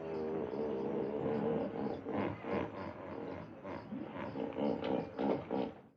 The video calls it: What does a Hippo sound like? (Hippopotamus) - Animal Sounds